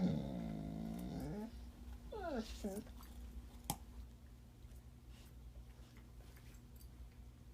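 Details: Puppy crying as it eats carrots indoors: a long, strained nasal whine at the start, then two short falling cries, followed by quieter room noise with a low steady hum.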